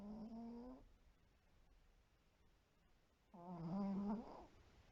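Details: Shiro, a white Pomeranian kept in a multi-dog home, snoring while asleep indoors: two loud, tonal, humming snores, each under a second long, separated by a quiet pause of about two and a half seconds.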